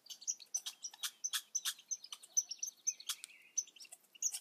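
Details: Red squirrel babies squeaking in quick, uneven bursts of high chirps and clicks, with one short, lower, steady whistle in the middle of the run.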